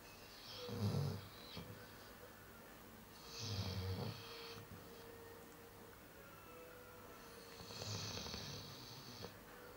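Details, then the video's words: A Chow Chow sleeps and snores, low rattling inhalations with airy hiss arriving about every three to four seconds, quiet pauses between each breath. "Собака Чау-чау храпит"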